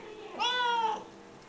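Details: Silver Bengal cat Acacia lies on her back nursing her five hungry kittens; a single clear, steady-pitched meow lasts about half a second, with rich harmonics and a faint human voice just before.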